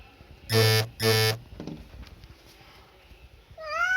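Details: Domestic cat indoors: two loud, deep, drawn-out harmonic calls about half a second each, a softer murmur, then a rising higher meow at the end, with faint room noise.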